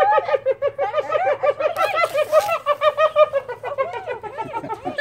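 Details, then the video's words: Captive laughing hyenas at Out of Africa Wildlife Park, Camp Verde, Arizona, giggling while begging for lunch as a handler shows them meat: rapid, high, bouncing whoops about three per second, overlapping voices running unbroken for five seconds. "How does a laughing hyena sound? Real laughing hyenas beg for lunch!"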